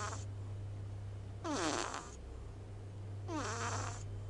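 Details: Sleeping small pet cat, eyes half open, snoring loudly: two breathy, rasping snores about two seconds apart, each starting with a falling whistled note, over a continuous low hum.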